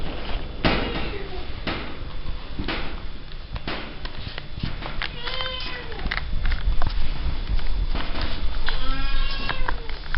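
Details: Rescued cats at feeding time give several arching, descending meows, loudest near the end, amid repeated clicks, knocks and low rumbling background noise.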